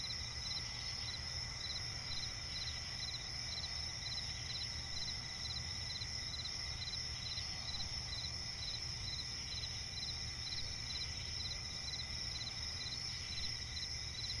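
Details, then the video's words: Swampy forest at night filled with cricket song, steady piercing trills stacked at several pitches plus regular bursts of rapid chirps repeating through the whole stretch, over a constant low rumble. "cricket chirping relaxing sound in night forest"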